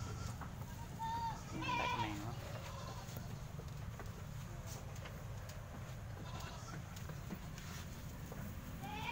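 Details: Peranakan Etawah goats at a livestock procurement in Aceh Besar, Indonesia; a few short wavering bleats near the start amid steady low background rumble and faint human voices.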